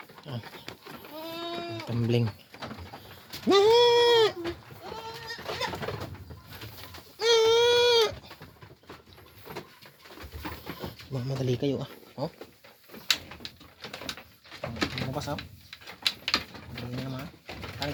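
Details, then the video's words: Pet goats calling as they are let out of their pen in the Philippines; loud wavering bleats with rich harmonics, two long ones near four and seven seconds, softer bleats later, with a man talking in Filipino throughout. "Maglabas muna ako ng manga alagang kambing manga lods"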